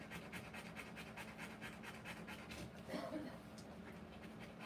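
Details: During a live birth of puppies, a Rottweiler pants quickly and evenly over a low steady hum, with a brief voice heard midway.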